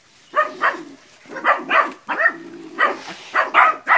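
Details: Puppies in training barking at a big water buffalo in West Sumatra, Indonesia: paired hoarse barks repeated in short groups over a low background.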